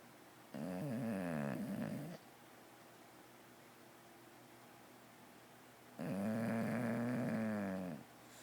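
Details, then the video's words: An English Bulldog in deep sleep, twitching, snores hard in two long, rattling breaths with a quiet pause between them. "English Bulldog Sleeping hard, and Snoring"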